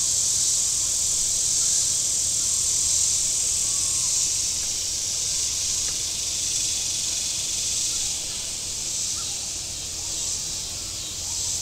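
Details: Cicadas calling from the shore of Table Rock Lake in southern Missouri on a very warm Saturday: a steady, dense, high-pitched buzzing drone that eases slightly in loudness midway, over a faint low hum.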